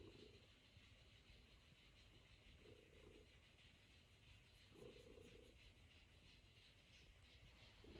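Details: Kneading Norwegian Forest Cat resting on its owner's lap, purring quietly in slow rhythmic rumbles, one swell every two to three seconds, over a faint constant indoor hum.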